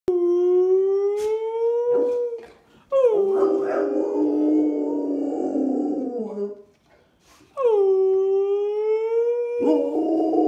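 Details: A male Rottweiler gives long, steady howls that slowly rise in pitch, with a person's voice in between.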